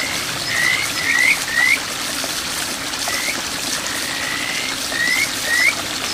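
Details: A Kajika frog (Buergeria buergeri) calls from a small village stream in Boso, Japan, in June 2023, giving clear, rising whistled notes repeated in short bursts over the rushing water.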